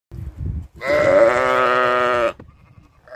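A single drawn-out sheep bleat, nasal and quavering, holds a steady pitch for about a second and a half. A brief low rumbling comes before it, and the clip ends in near quiet.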